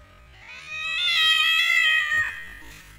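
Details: Cat meow during a mother cat's attack on an orphan kitten that is not her own; one drawn-out, strongly harmonic meow swells and holds for over a second before dropping away, with little background noise.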